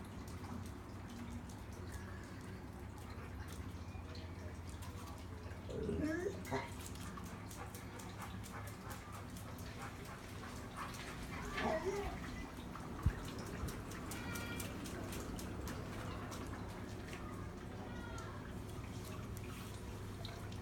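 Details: Mako the dog whimpering weirdly while neighbours make noises: two short, curving whines that rise then fall, about six seconds apart, over a steady low hum with faint clicks.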